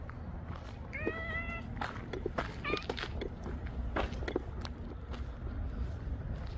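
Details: Stray Siamese cat in the early-morning fog, approaching its feeder at dawn: two brief tonal meows, the first longer and steady, the second shorter, set against a constant low outdoor rumble and scattered clicks.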